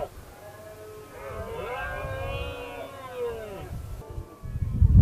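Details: Red deer during the 2016 rutting season, where a dominant stag faced a single challenger. One long, drawn-out, harmonically rich roar swells and falls over about three seconds, followed by low rumbling noise.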